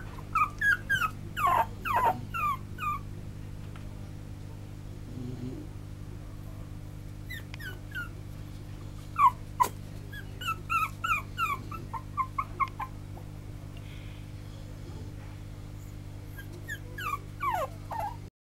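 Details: Silver male toy poodle giving repeated high, falling whimpers in bursts separated by pauses, with a sharp click midway and a steady low hum throughout.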